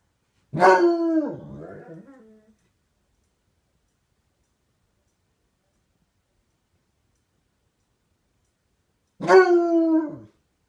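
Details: Dog Rosco P. Houndog calling out to the neighbour's dog with two short howls, each starting loud and sliding downward, the first trailing into a rough, broken tail, with a long silence of about seven seconds between them.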